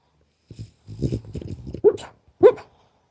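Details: Sleeping French Bulldog making low grumbling snores followed by two short, sharp yelping barks.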